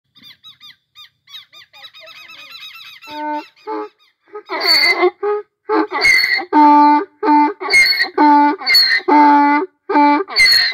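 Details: Donkey braying in the Brazilian sertão: soft wheezy inhaled squeaks at first, then loud harsh see-saw honks repeated in rapid rhythmic bursts, each roughly half a second.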